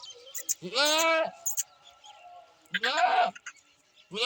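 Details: Two quavering goat bleats, the first longer and clearly harmonic, the second shorter, with faint clicks and scattered background sounds between them.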